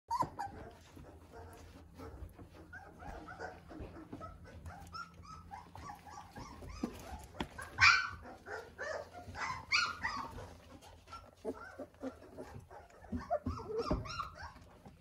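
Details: Weimaraner puppies, 18 days old, walking better and discovering their voices: a busy mix of short squeaky yelps, whines and little barks, with one sharper high yelp near the middle and a burst of overlapping cries toward the end.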